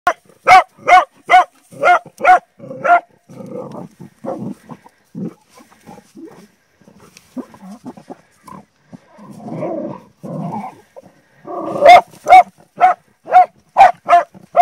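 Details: Bull Terrier described as a hunter, giving bursts of sharp, evenly spaced barks at the start and again at the end, with quieter low grunting and rustling sounds filling the middle stretch.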